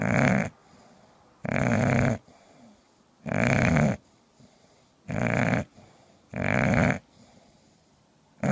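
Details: Indoors, a sleeping English bulldog snores loudly: six harsh, rattling snores, each lasting under a second, repeat roughly every one and a half seconds with near silence between them.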